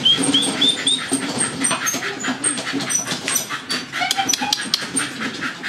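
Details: Two dogs running on a treadmill, excited; thin, high whines repeated several times in the first second, then fainter yelps over the steady rattle and thumping of the running machine.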